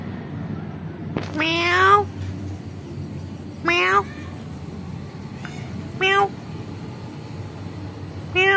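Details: Kitten in a family home replying to its owner with four separate meows spaced about two seconds apart, each bright and harmonic, rising then falling, with a low background hum between calls.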